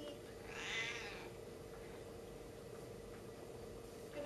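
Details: A stubborn female Siamese cat, described as talking and unwilling to give up a hat, lets out a short, bright meow near the start, followed by a woman's voice and faint room noise.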